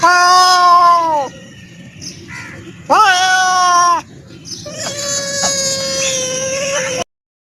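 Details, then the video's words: Loud, close meows from a black cat: a long falling meow, a second rising then falling one after a short pause, then a steadier, flatter drawn-out cry before sudden silence. "Cat Sounds to Attract Cats | Cat Meowing"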